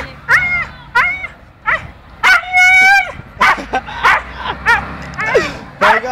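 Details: Gümüş, a dog, cries out in fear when put into the sea for the first time, its wails sounding like "anne" (mum). Sharp rising-falling whines and yelps repeat roughly every second, with a long drawn wail midway and people talking and laughing nearby.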